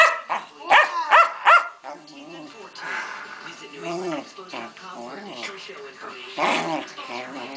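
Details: A pet Keeshond named Pancake, a female, in the middle of a tantrum: three quick loud barks at the start, then lower wavering grumbling moans, with people speaking in the room.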